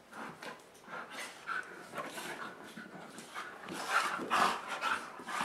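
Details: Playful dogs romping on a dog bed inside during a rainy day, passing time until the rain stops; quick airy panting, irregular puffs, with a few faint whiny tones near the end.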